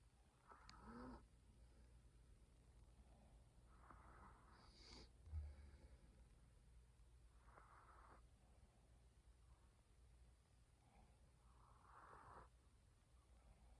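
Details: Sleeping female Chihuahua puppy snoring softly, each breathy, hissing snore rising and fading about every three to four seconds, over a low steady hum in a quiet room.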